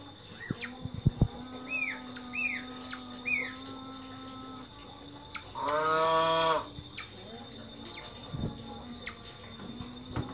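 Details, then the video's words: Several pet otters, one naughty individual bothering the others; a few short, high, arched chirps, then one loud harmonic squeal lasting under a second near the middle, over knocks, clatter and a steady low hum. "Berang-berang nakal mengganggu berang-berang yang lain | The naughty otter bothers the other otters"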